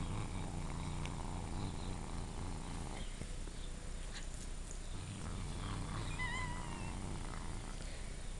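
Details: Domestic cat Dieago guards a dental stick taken from the dog Kobe. He gives a deep, rumbling growl for about three seconds, pauses, then rumbles again for three more, with crunching and faint higher squeaky tones near the end.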